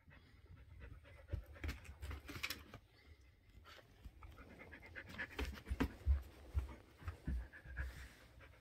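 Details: Rampaging Shetland Sheepdog panting hard and low, uneven huffs repeated through the stretch with scattered sharper clicks and rustles, indoors.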